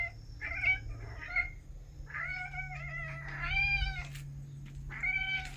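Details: Domestic cats indoors at home, early autumn of 2021: a string of five or six nasal, mid-pitched meows, some short and clipped, others longer and steadier, arriving in quick succession over a steady low hum.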